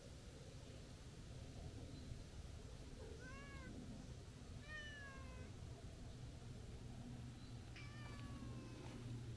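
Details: Tortoiseshell stray cat approaching with long nyaa calls: three separate drawn-out meows with bright harmonics, each arched and gently falling, spaced a few seconds apart against a constant low hum of traffic-like noise.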